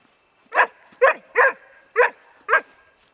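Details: Four-month-old Bracco Italiano, Rus De'Viaro Venezia, giving five clear barks, roughly one every half second, each short and mid-pitched with a quiet background.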